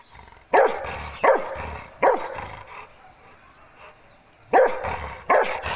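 A Rottweiler gives deep, loud single barks, spaced out with brief pauses between them.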